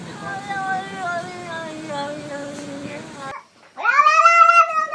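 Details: Domestic cat making funny talking noises: a drawn-out, slowly falling meow of over three seconds, then after a short pause a louder, rising and wavering meow.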